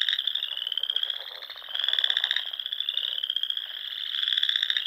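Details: Many frogs calling together at dusk near Sandhills ponds in Nebraska during spring: a steady, shimmering high trill chorus whose loudness rises and falls every second or two, with no other sounds.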